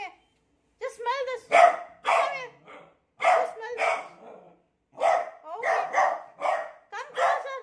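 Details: Tricolor beagle puppy barking and baying in fear at a new cot: loud, irregular bursts, some with wavering, howl-like tones, separated by short silences.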